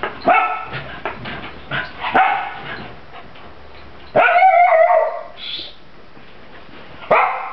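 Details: Playful sparring between Zak, a German Pinscher pup, and Tara, a black German Shepherd puppy: rapid high barks and yips, a drawn-out whining growl-bark near the middle, then a final loud bark after a quiet pause.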